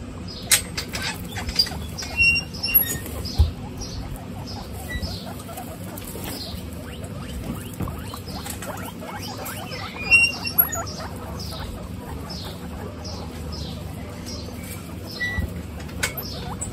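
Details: Guinea pigs, a group of 26 females, on a hot day, giving short high squeaky chirps in loose runs with gaps, over steady low rustling and occasional soft patter.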